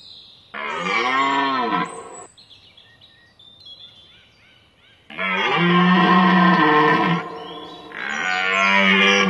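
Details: Rutting red deer at Hoge Veluwe National Park, 19 September 2010, giving loud, drawn-out roars rich in harmonics. A shorter bellow is followed by a long two-second roar and another starting at the end.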